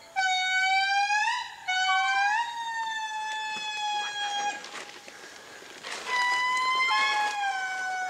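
Powerful, tonal wails from several indris overlap, each swelling upward and then sliding down in long, mournful glides. The far-carrying chorus proclaims the group's claim to its stretch of forest.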